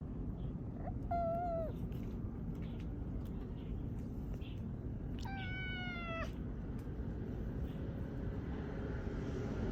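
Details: Stray cat brothers: two drawn-out meows, the first short and level, the second longer with a slight rise and fall, separated by about four seconds, over a steady low rumble like distant traffic.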